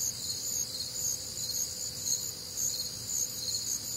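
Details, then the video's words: Crickets calling on a warm, humid Midwestern summer night; shrill, regular chirps rising and falling in loudness about twice per second, several callers overlapping, with a quiet low tone beneath. "Night Time Cricket Sounds"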